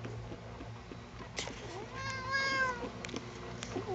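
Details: Sugar, a pet cat who dislikes being combed, lets out one strained, bending meow in the middle after a brief knock, with soft household hum and small clicks around it.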